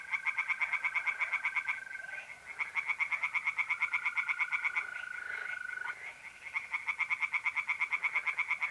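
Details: Pond tree frogs calling by night in April in north-east Italy; quick, harsh pulsed bursts follow one another almost without break, while mole crickets hold an even, sustained trill underneath.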